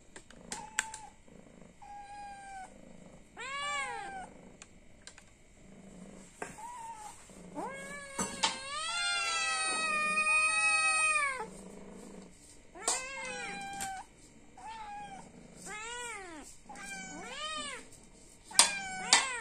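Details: Domestic cat begging for food because it is hungry, giving a rapid string of arched, nasal meows, some short and clipped, one long wavering run in the middle, with occasional clicks and thumps in the room.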